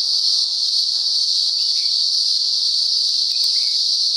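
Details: Daytime cicada chorus from the upper Blue Mountains, Australia, going on and off for about a week: an unbroken, intense high buzz at an even loudness, with a few faint short chirps beneath it.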